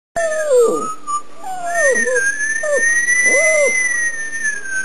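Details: Alaskan Malamute puppy howling in a series of four short, wavering cries that rise and then fall, with brief pauses between them, over a steady high whistle-like tone that runs throughout.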